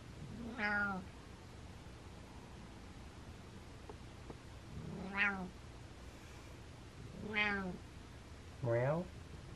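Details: A happy male cat making short rising-falling mews, four harmonic calls spaced about two to four seconds apart in a quiet room.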